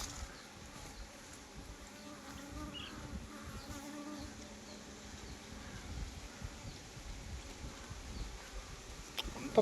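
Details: Honey bees at a beekeeping farm in Nellore, a low, steady droning buzz under a busy wash of broadband background noise, with a sharp click at the very end.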